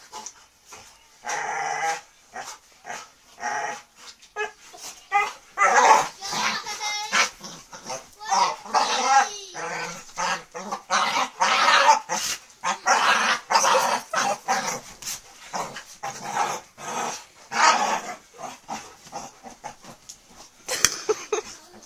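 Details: Pit Bulls wrestling and playing with a man on a bed: rapid, throaty growls and grunting vocalizations in irregular bursts throughout, with a human voice mixed in at times.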